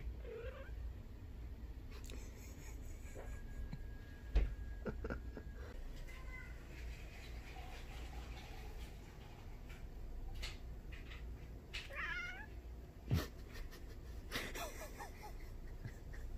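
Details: An Egyptian Mau cat, poked in the face while sleeping, gives a soft, low purring rumble broken by a brief warbling chirp.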